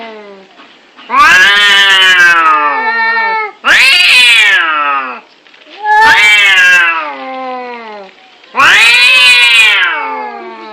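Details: Angry cats fighting, giving long harmonic-rich yowls that rise then slowly fall, four loud wails about every two to three seconds with quieter moaning between them.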